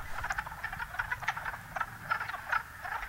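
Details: A daytime spring breeding chorus of male wood frogs (Lithobates sylvaticus) calling to attract females at a New England vernal pool: short, hoarse clucking croaks overlapping in quick, irregular bursts.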